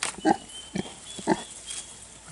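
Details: Kunekune piglets, two weeks old, on a hot day: three or four brief, soft grunts spaced unevenly over two seconds, with a faint steady high whine in the background.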